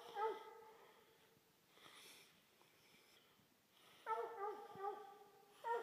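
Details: Coonhounds, including an older half Walker, half English hound, give a few loud, harmonic barks: one at the start and a cluster of three close together near the end, with long quiet gaps between them.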